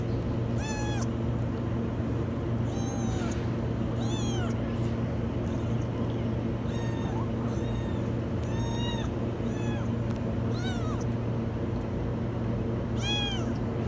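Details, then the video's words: Trapped in a washing machine, a kitten gives around seven high, bending meows at irregular intervals of one to three seconds, each sharp and strained, against constant low droning machine noise. "Kitten stuck in the washing machine meow very high"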